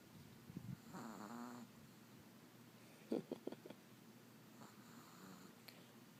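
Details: Little female Chihuahua sleeping indoors and snoring loudly for her size; soft rasping snore bursts near the start, then a cluster of short snorty breaths around the middle and faint breathing toward the end.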